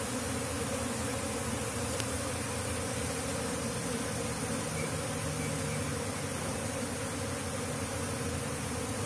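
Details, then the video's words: Large flying swarm of lebah kampung, Asian honey bees, entering a box hive while being relocated; continuous thick buzzing drone, even in loudness, with a low rumbling layer beneath. "Terbang kerumunan lebah kampung (Apis cerana) masuk bersarang"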